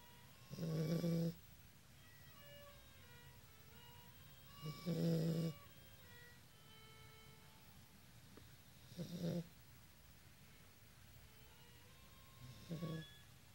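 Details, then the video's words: Siberian Husky puppy snoring while napping after running around in the backyard; soft, low rasping snores repeated every four seconds or so, with violin practice playing in the background. "Snoring Husky puppy"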